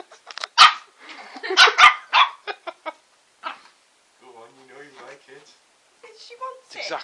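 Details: A Shih Tzu named Bubbles, a female pet tasting a lollipop indoors, gives sharp high yips in quick irregular bursts, with a woman talking and laughing between them.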